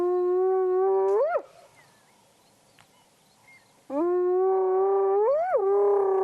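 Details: Wild spotted hyena in Africa, sitting in long grass at the roadside beside a vehicle, recorded 12-1-2017: two long, steady, moaning whoops, each ending in a sharp rising upsweep, separated by about two and a half seconds of near silence.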